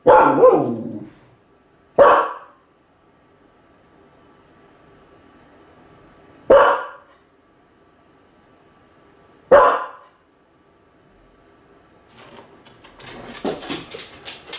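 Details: Kai Ken dog named Ichi, left home alone and lonely, gives four sharp, separate barks about two to four seconds apart in a quiet room, followed by soft rustling and knocking noises at the end.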